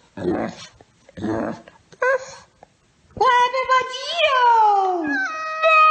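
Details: Talkative dog vocalising indoors: after a few seconds of human speech, a long harmonic whine rises, wavers and slides gradually downward over about three seconds, like drawn-out dog talk.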